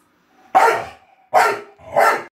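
A Staffordshire Bull Terrier gives three loud, sharp barks, demanding to be let into the shower.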